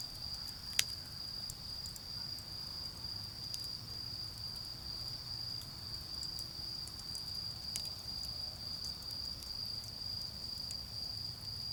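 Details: Autumn insects beside a garden fire: a clear, steady high ringing trill dominates, with occasional sharp snaps from the burning wood, one loud pop early on, and a soft low background rumble.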